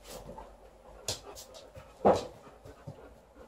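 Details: A female Alaskan Malamute trying on her new pants gives a short, loud, throaty vocal burst midway, with soft snuffles, shuffling and quieter sounds around it indoors.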